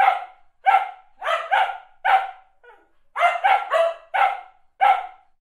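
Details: Dog barks from a sound-effect recording: about a dozen clipped, forceful barks, some single and some in fast clusters of three or four, separated by short silences.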